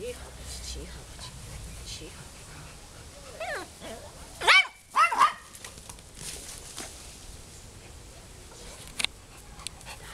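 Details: A found Golden Retriever in Wołomin, Poland, lets out two loud, abrupt barks close together midway, preceded by a soft whine, with people talking quietly in the background.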